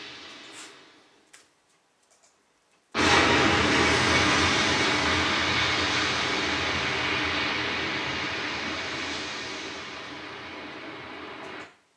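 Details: Near silence with a few clicks, then a sudden loud broad roar like a motor or aircraft engine that holds steady until it cuts off at the end, with no animal voice.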